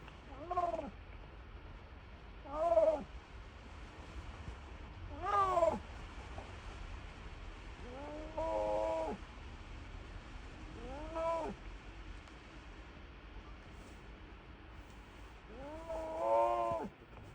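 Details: Snow leopard named Sizim at Maruyama Zoo giving cute, cat-like calls: six harmonic, arching mewing cries, each under a second long, spaced about two to three seconds apart over a low steady background hum.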